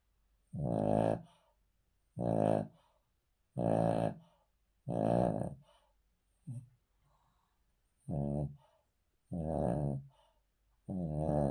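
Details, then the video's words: Male Cavalier King Charles Spaniel dozing on the floor, producing a steady run of eight raspy snores roughly every one and a half seconds, one briefer and weaker than the rest. "Cavalier King Charles Spaniel Snoring"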